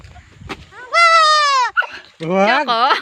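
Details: Baby goat bleating: a long, steady, high nasal bleat lasting under a second, followed after a short pause by a wavering, quavering bleat that dips and rises in pitch.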